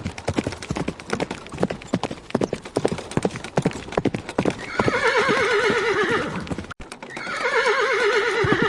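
A horse's hooves clop steadily, then two long, quavering whinnies ring out, shaking up and down in pitch.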